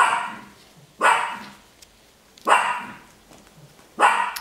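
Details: Three five-week-old Golddust (Biewer) Yorkshire terrier puppies give short, high yapping barks, one every second and a half.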